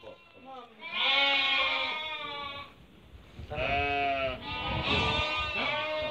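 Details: Merino sheep from a flock offered for import from Hungary, with a buyer from Türkiye choosing animals: two bursts of wavering, harmonic bleats overlapping from several sheep, separated by a quieter gap.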